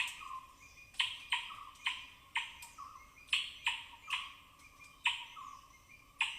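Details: Native forest squirrels foraging on rain-soaked branches in dense evergreen forest canopy, Tamhini Reserve Forest, Western Ghats, recorded binaurally: sharp, high-pitched broadband chips in irregular bursts, some paired closely, about ten in six seconds, each with a short fading tail.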